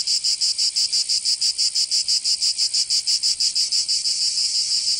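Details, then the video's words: Cicadas in summer in Provence, southern France: a loud, continuous high buzzing chorus pulsing about three times a second, steady throughout with no other sounds. "Canto Cigarra 🦗 [ Escuchar les cigarras en verano 10 H]"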